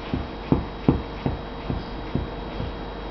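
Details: English Mastiff puppy growling at random: short, low, rough pulses repeated roughly every half second over a steady background hiss.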